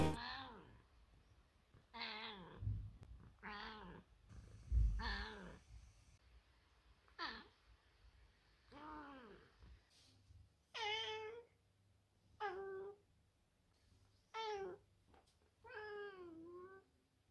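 A Bengal cat gives a series of drawn-out meows, some rising then falling, roughly every two seconds.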